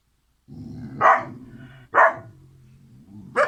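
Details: Kangal puppies, the siblings Karo and Karaca: three sharp, loud barks spaced roughly a second apart, rising out of a low, steady rumble of background noise.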